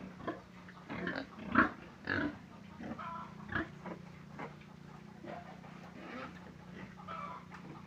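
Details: Pig making quick rough grunts, loudest near the start and then trailing off into softer, scattered snuffling grunts, with a steady low hum behind.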